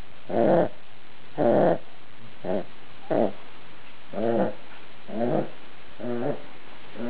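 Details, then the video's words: Dog snoring while asleep, rough guttural snorts coming roughly once a second, the first two loud and the later ones softer and less even. "dog snoring"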